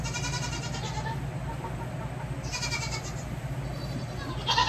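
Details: Baby goats during hoof trimming bleat three times: wavering, harmonic-rich cries near the start, in the middle and at the very end, over a steady low hum.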